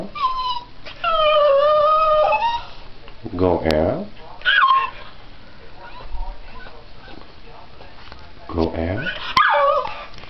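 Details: Bandy, a pet Miniature Pinscher dog, vocalizing that he wants to go out: drawn-out whining, howl-like tones rising and falling, alternating with a person repeating "go out" indoors.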